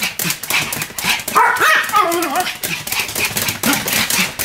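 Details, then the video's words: Two Pomeranians named Sam and Marin barking together in a duet: scattered sharp yaps, then a wavering whine-like howl in the middle seconds before the quick yips resume. "犬の鳴き声 ポメラニアン サム マリン デュエット吠え"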